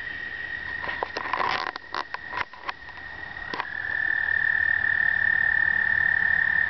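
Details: American toads in explosive breeding in an Indiana pond in early spring, the surface filled with toads on the first warm days; a steady high musical trill chorus with splashing clicks early, swelling to a continuous drone, filmed on a pocket camera.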